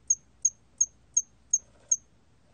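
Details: Hairy cricket, 2020 recording: six crisp, very high chirps repeated at a regular rhythm of nearly three per second, clean and uncluttered.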